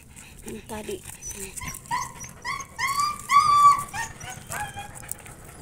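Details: A noisy Aspin dog left indoors while its owner takes the other dogs outside gives a rapid series of high, tonal yelping barks, some rising like whines.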